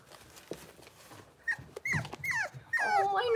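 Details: Blenheim Cavalier King Charles Spaniel puppies at six weeks old, soft human voices at first, then thin, high whines that slide downward, growing louder and more overlapping toward the end.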